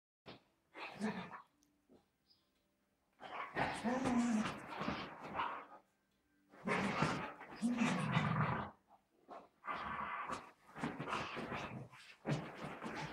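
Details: Pet dogs at play, giving rough, throaty growls and snarling bursts in several long bouts separated by short silences, with a human voice mixed in.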